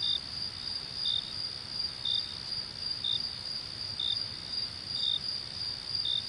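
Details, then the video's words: Night-time crickets: a continuous high-pitched trill with brief chirps repeating about every second, set against faint low rumble. "Crickets and Night Sounds"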